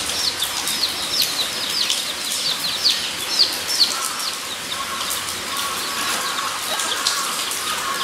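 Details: Guinea pigs at Nogeyama Zoo, 23 September 2012, give a run of short high whistled squeaks, rising and repeated roughly every half second, over a steady broad hiss of background noise.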